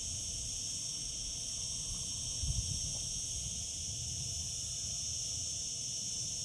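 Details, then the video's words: Summer cicada chorus as a continuous high, sizzling drone that never pauses, over soft low background rumble and one brief low thump midway. "Cicada sounds, cicadas singing in summer."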